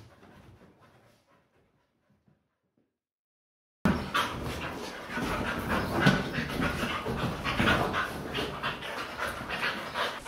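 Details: Rapid, rhythmic panting from a Siberian Husky playing excitedly on a couch with another husky, rough breathy huffing several times a second, after a quiet start with faint murmuring in the background.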